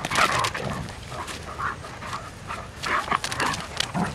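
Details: Irish Wolfhound girls, four of them, playing together during a morning walk: a string of short, rough, voiced grumbles and whines comes every half second or so, over scuffling and breathy noise.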